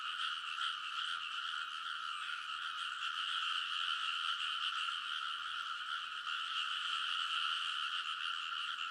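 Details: Rice-field frogs calling together late at night in early summer at Kōnosu, Saitama, Japan, TASCAM Portacapture X8 recording; many overlapping rapid croaks form a constant buzzing chorus, about two to three pulses a second audible within it.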